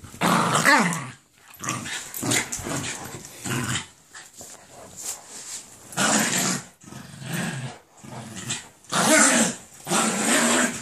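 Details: Jack Russell Terrier attacking a Doberman for lying on its bed indoors; bursts of harsh snarling growls and snapping, several loud aggressive outbursts separated by short pauses in a small room.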